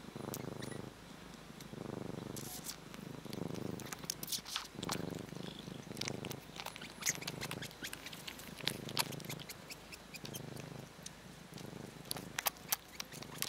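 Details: Purring from the cats Kkabi and Yaongi during kneading: a steady, throaty rumble pulsing in regular in-and-out breaths roughly every second, with scattered light taps and scratching of kneading paws.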